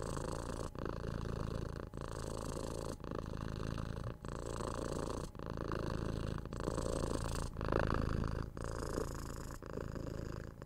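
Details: Six-month-old kitten purring while cuddled, patted and given head scratches indoors, recorded on a 3DIO binaural microphone: a steady low rumbling purr broken into roughly one-second breathing cycles by brief pauses.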